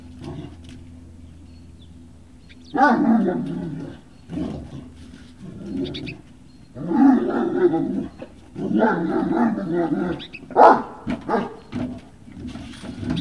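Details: Great Dane puppies at Puppy Hill, 18 November 2018, in the afternoon: loud, harmonic yelping and whining in several bursts of one to two seconds, separated by quiet gaps, with a low background hum at the start.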